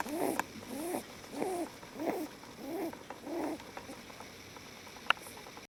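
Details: Leo, a lop rabbit, relaxed and asleep in someone's arms, snoring: six quick squeaky snorts spaced about half a second apart, then quiet with a single sharp click.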